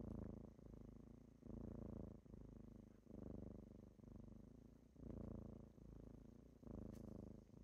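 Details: Kittens purring as they wake someone in the morning indoors; a low, rumbling purr in rhythmic bursts of roughly one second with short breaks for breath, steady and close.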